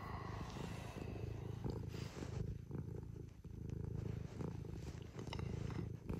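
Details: Domestic cat purring in the early morning while coming to wake its owner, one of three household cats (Scottish folds and a British shorthair). Steady low rumbling purr pulses continuously throughout, with soft rustling of bedding over it.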